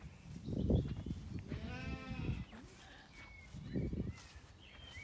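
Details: Zwartbles lamb in an orchard on a regenerative farm in County Kilkenny, Ireland, on a warm evening with dogs about: heavy footstep thumps bracket one wavering, harmonic-rich bleat lasting under a second, with faint birdsong behind.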